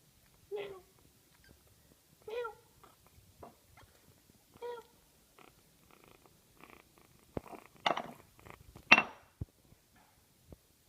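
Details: Three-week-old male kitten, separated from its mother, eating by itself for the first time. It gives three soft, short mews about two seconds apart, followed by faint clicks and eating noises.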